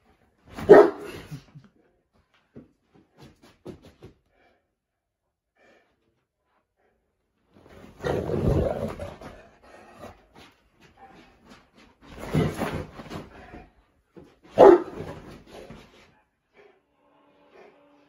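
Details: A female Boerboel dog gives a few short, deep bursts of barking spaced several seconds apart, near the start and again around eight, twelve and fifteen seconds, with quiet between.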